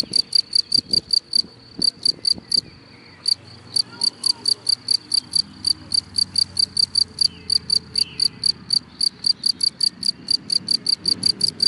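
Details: Cricket singing from grass, a loud high-pitched chirping in rapid regular pulses, broken by a brief pause before resuming, with some low distant noise underneath.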